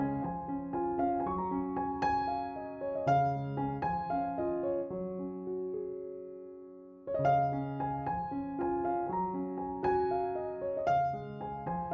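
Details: A gentle electric piano melody plays throughout with sustained chords, pausing briefly before the phrase repeats. No animal sound can be heard.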